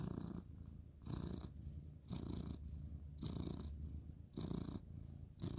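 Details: Purring male ginger tabby cat, stroked at night on the bed as the light goes off, February 2023; deep, rough purr pulsing in regular breaths roughly every second, soft and close.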